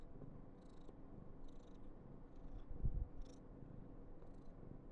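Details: Low rumbling purr of an affectionate female Somali cat called Karen, born November 2021, with a few faint breathy bursts and one soft bump midway.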